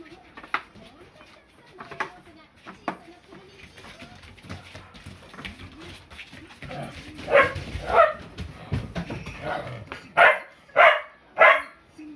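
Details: Play-fighting Rough Collies recorded 8 May 2020, Ta-chan eagerly butting into a battle between sisters Miko and Nanacha; faint scattered sounds open, then loud clusters of yelping, growly barks arrive around the middle and near the end.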